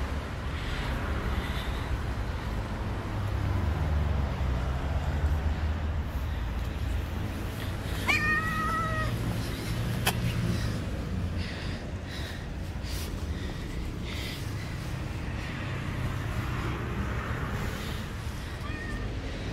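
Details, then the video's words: Stray cat living on the street meowing loudly as if wanting to say something: a single drawn-out, bending meow midway through, over steady low traffic rumble and street noise. "The Cat Meowing loud wants to tell me something."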